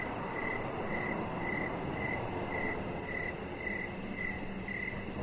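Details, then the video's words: Outdoors in the evening by a deck, crickets keep up a regular chirping, brief bright pulses arriving about twice per second against a broad, even wash of noise and a faint rapid ticking overhead. "Chihuahua Puppy Laying On Deck with Cricket Sounds"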